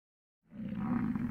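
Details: A bull American bison lets out a deep, rough, rumbling rut bellow after a moment of silence, on a morning in the Grand Teton, Jackson Hole or Yellowstone area.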